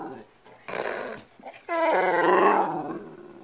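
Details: Pet dog indoors at home, one of several 'talking dogs': a brief rough burst, then a drawn-out, harmonic, grumbling vocal moan lasting nearly two seconds that rises and eases off, with the owner's soft voice nearby.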